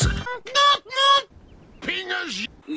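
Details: Desert rain frog. Two short, high squeaks from a desert rain frog, each bright and nasal like a squeezed dog toy, come in quick succession. It is the angry frog's war cry, and a man's voice speaks before and after.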